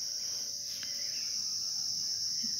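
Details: Crickets calling in the morning around 8:10, a continuous very high, thin trill held at an even pitch and loudness throughout, with faint background noise.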